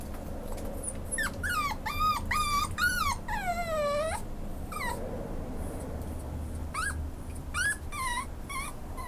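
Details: Boy Schnauzer at a pet shop seeking adoptive owners, crying in clusters of high, falling whimpers, one stretched into a long descending whine, then more short whines after a pause; steady low hum behind.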